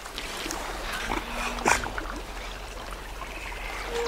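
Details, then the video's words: Otters snorting as a warning to a caiman they are chasing away from their part of a lake: a short, harsh, noisy burst near the middle, rougher huffs around it, over a steady background wash. "They make snorting sounds as a warning to the caiman."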